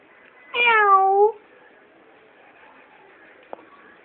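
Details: Single cat giving one clear meow, a falling harmonic tone lasting under a second, followed by near silence in a quiet indoor space.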